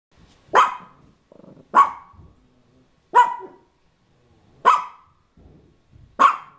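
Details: A dog defending his turf barks loudly and sharply, five single barks spaced roughly one to one and a half seconds apart, with faint low growly sounds between them.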